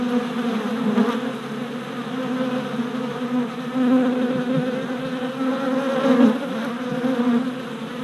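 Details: Worker honey bees making orientation flights at a new hive four days after a package was installed, 27 April 2017, filmed on a GoPro: dense continuous low buzzing from many bees with swelling and fading passes close by.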